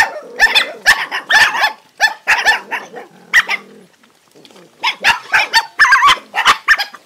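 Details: A crowd of hungry dogs eats and fights over food, with rapid rough barks and snarls in tight bursts, a brief lull in the middle, then another volley of overlapping barking.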